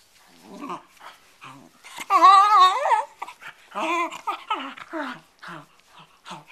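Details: Bedlington Terrier playing with a cloth, softer and more distant: low rumbling growls and short whimpers, with a louder quavering whine in the middle, indoors.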